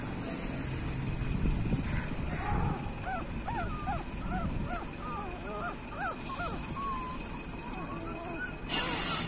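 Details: Street dog puppies whimpering softly while being fed, a run of short, thin arched whines from several pups over steady low background rumble and murmuring voices.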